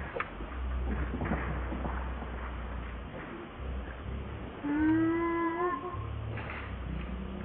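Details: Young monkey Leo wanting its mother's help: one drawn-out tonal cry, slightly falling then level, over a steady low hum and scattered faint background noises, with people talking briefly.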